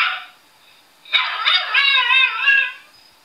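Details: Puppy singing: a high, wavering howl with stacked harmonics begins after a second of quiet, holds a quivering tone for about a second and a half, then fades.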